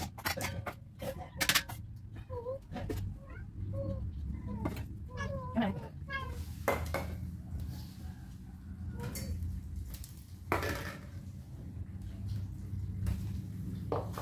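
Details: Pet cats fighting while they wait for breakfast; a run of short, rising-and-falling meows repeats through the middle, mixed with sharp clatters of dishes and cutlery and a human voice over a low indoor hum.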